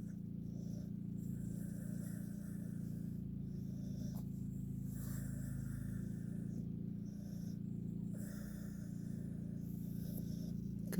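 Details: Bleu, a Pit Bull, dozing in a truck while cooling off in the air conditioning; soft, rhythmic snoring breaths come every one to two seconds over a steady low engine and air-conditioner hum.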